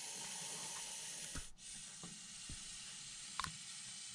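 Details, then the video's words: Nervous Montpellier snake hissing in reaction to a nearby hand. A continuous airy hiss breaks off briefly once midway before resuming, with a few soft knocks and handling noises. "Ящеричная змея (Malpolon monspessulanus). Реакция на угрозу"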